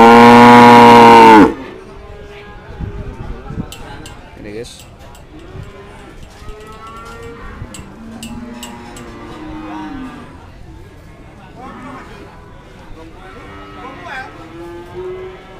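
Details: Cattle at the Kliwonan (Ngadiluwe) cattle market in Kediri, East Java, Indonesia. A loud, deep, sustained moo opens the recording, then market chatter, background music and low murmurs of voices follow.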